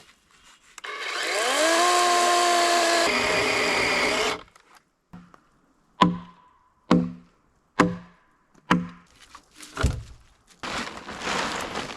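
A power tool whines up to a steady drone, then a run of sharp wooden knocks like chopping or hammering; no animal sound.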